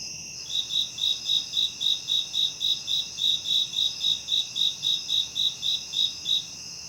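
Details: A cricket gives steady, high-pitched chirps around 3.0–4.0 kHz, pulsing about three or four times each second, offered as a tinnitus masking sound.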